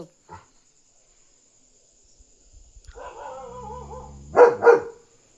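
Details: A German Shepherd on guard at night, alerting that a dog is outside and defending his territory, gives a drawn-out whine, then two sharp, loud barks.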